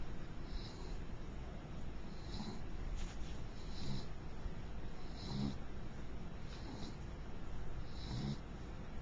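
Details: Princess, a mixed beagle, snoring in her sleep: soft, breathy snores with a faint low rumble, repeating roughly every one and a half seconds over a steady low room hum.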